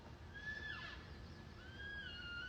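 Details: Elk calf calling in Yellowstone National Park during a live morning broadcast, described as almost whale-like: thin, high whistled squeals, one gliding down and another drawn out and wavering, faint over soft outdoor background noise.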